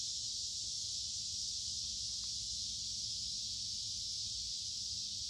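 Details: Cicadas make a constant high-pitched hiss in woods beside a creek on a warm, humid summer day. The steady, unvarying buzz masks everything else, with only a faint tick near the middle.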